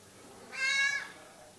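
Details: Cat hiding under a cover, giving a single short harmonic meow lasting about half a second in a quiet indoor room.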